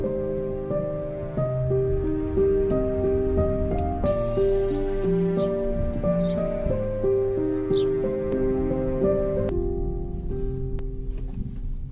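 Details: Gentle melodic music with steady sustained notes, a brief rain-like patter and a few clicks; no animal calls.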